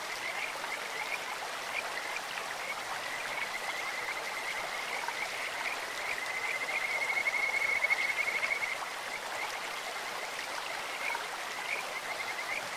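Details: A Kajika frog calling in a clear-flowing stream. A faint, high, even-pitched trill runs through the clip and peaks in a louder pulsed burst midway. Steady hissing stream noise masks much of it.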